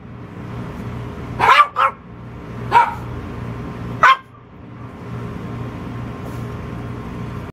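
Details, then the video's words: Magnum, a pet dog, barks in short sharp bursts: a quick double bark, then two single barks spaced about a second and a half apart, over a steady low mechanical hum. "Magnum Barking"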